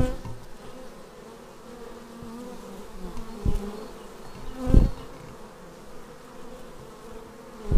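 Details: Arriving bees at a hive, recorded with a Xiaomi Yi action camera: continuous low humming of many wings, broken by brief loud thumps or close passes at about three and a half, five and eight seconds.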